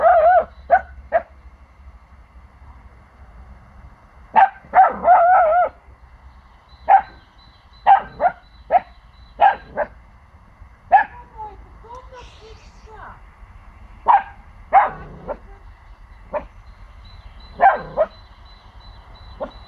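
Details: A 4-month-old Pomsky puppy gives sharp, high yapping barks in irregular bursts, guarding his territory after hearing unfamiliar sounds from the neighbours' house.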